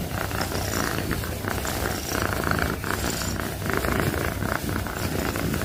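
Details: Domestic cat purring loudly and steadily, a continuous low rumbling throb with rhythmic pulses rising and falling in gentle waves, no break in the sound.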